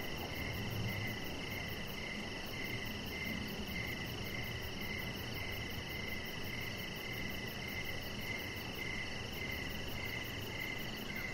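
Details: An evening chorus of crickets outdoors by a deck, with a chihuahua puppy resting nearby. Rhythmic high chirps pulse about twice a second, layered over a continuous shrill drone and soft broadband noise.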